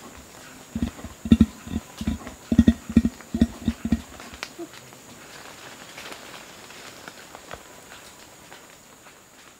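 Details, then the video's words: Male Bornean orangutan grunting low as a warning threat to gibbons: about eight deep, spaced grunts over the first four seconds, then near silence with only faint background. "Bornean Orangutan / MCU Warning(Threat) Calls From Male To Gibbons. Continuous Low Grunting. Faint"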